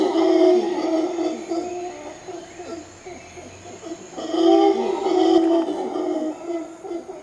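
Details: Howler monkeys at Arenal Observatory Lodge, Costa Rica, give deep, droning roars that swell and fade in long, rolling waves.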